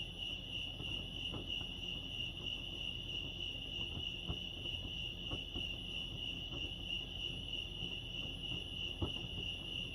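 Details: Crickets chirping at Lake Arrowhead, California: a steady, high pulsing trill holds one pitch throughout, with soft low rumble and scattered faint ticks beneath.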